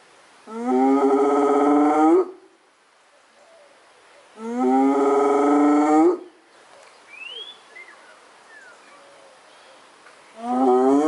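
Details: A hyena gives long, rising, hollow calls, each about two seconds, with quiet gaps between; the calls are said to sound somewhat like cows.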